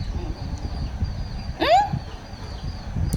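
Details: Ramu, a pet puppy, gives one short whine that sweeps upward with rich harmonics while a woman speaks to it in Tamil about food, with steady low rumble behind.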